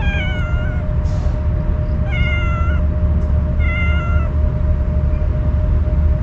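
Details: Stray cat that usually runs from people, crying and staying on guard while eating Kalkan cat food; three evenly spaced harmonic meows about a second and a half apart, with faint rustles over a steady low hum.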